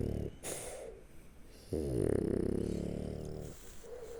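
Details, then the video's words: Shturm, a French Bulldog sleeping on its back under an arm, gives a long rattling, throaty snore with a buzzing pulse, preceded by a softer breath and followed by a short wheezy inhale. "Французский бульдог Штурм Спит, Храпит, Сопит и Пукает лёжа на Спине"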